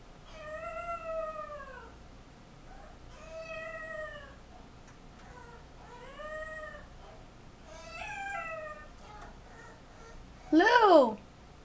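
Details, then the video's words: Lou, a 7-week-old French Bulldog puppy that freaks out when his owner is out of view, whines in drawn-out, downward-curving wails spaced every two seconds, ending in one sudden, much louder, shrill yelp. "Cry baby Frenchie 7wks old"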